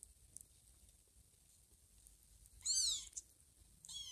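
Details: Small kittens at home, two elder kittens Teddy and Chloe with foster kitten Blackie, settling down to sleep on a green pillow; a short high-pitched kitten mew rises then falls, with another starting at the end over a quiet hiss.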